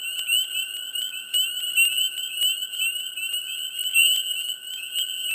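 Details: Many frogs calling together in a swamp during mid spring form a thick, unbroken wall of high trilling, with rapid clicks and chirps layered over it and the loudness rising and falling gently.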